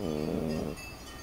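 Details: Sleeping dog snoring: one low, droning, buzzy breath lasting under a second, then a softer noisy tail.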